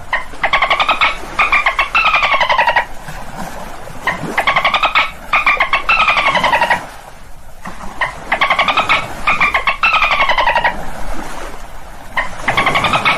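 Dolphins give bursts of squeaky, buzzing whistles with bright overtones, coming in repeated runs of about a second.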